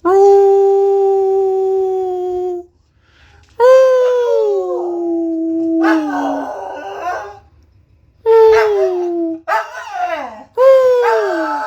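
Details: A corgi howls in long, wavering tones, some held steady and others sliding downward, while its owner praises it as a good boy.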